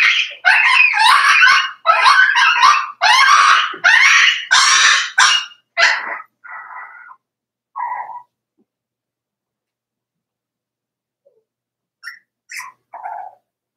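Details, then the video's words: Cavalier King Charles Spaniel puppies, four weeks old, in Daisy's litter pen: six seconds of loud, rapid, overlapping yelps and whines, then a few softer, shorter cries and near silence with faint late squeaks. "Daisy's Cavalier Puppies Livestream: 4 weeks old"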